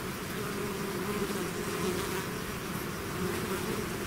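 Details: A swarm of bees leaving its hive gives a thick, even buzz, many wings humming together in a continuous layered drone.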